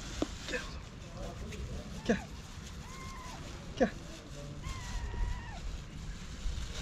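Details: Feral cats and kittens begging for food on a sidewalk give two drawn-out, level meows, the second longer and falling at its end, between soft taps, street rumble and a Turkish-speaking voice.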